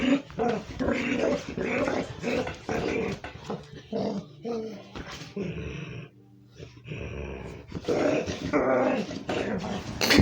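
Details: A female dog plays with a big toy duck and makes odd, broken growling and whining noises in bursts that her owner has never heard before, with a man talking over it.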